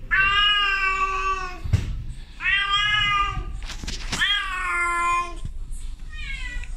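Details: Female domestic cat in heat, meowing to a male outside: long, drawn-out, harmonic meows about a second and a half each, rising then falling slightly, four calls with short pauses and brief clicks between them.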